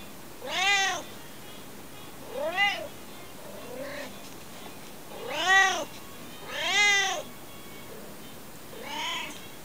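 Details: Alfie, a cat meowing non-stop, gives arched harmonic meows at irregular gaps, some loud and full, others short and quieter, including a faint low murmur near the middle, over soft constant hiss.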